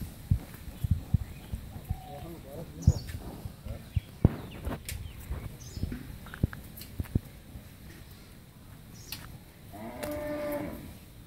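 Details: Friesian cow, first-calving and eight and a half months pregnant, on a dairy farm in Pabna, Bangladesh; scattered knocks and thumps fill most of the recording before one low, harmonic moo of about a second near the end.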